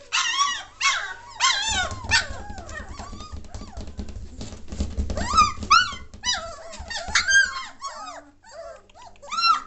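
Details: Noisy three-week-old German Shorthaired Pointer pups of a 2014 litter, kept indoors: bursts of high arching squeals and whimpers from several puppies, a quieter middle stretch, then renewed crying, over a steady low mechanical hum.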